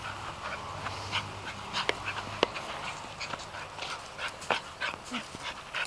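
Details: Arden, a female dog playing with balls in a house garden, breathes in quick, uneven, breathy bursts, about one and a half per second, with a soft steady hum underneath.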